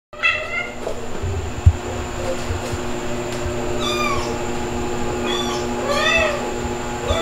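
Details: Domestic cats Mel (calico), Pepper (black) and kittens Stuart (white) and Lunar (black), filmed 21 June 2022 at 8.42 PM as the calico takes a kitten and its mother retrieves it; high arching meows, one early, then three near the end, over a steady hum.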